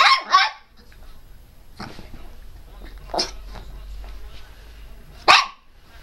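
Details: A Miniature Pinscher barking: a quick pair of sharp barks at the start, then isolated single barks about two seconds apart, separated by quiet stretches with low background rumble.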